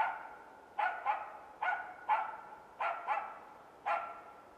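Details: Norrbottenspets (Pohjanpystykorva) barking while hunting in Finland: loud, high, ringing barks, some in quick doubled pairs, about one per second, against a faint hissing background.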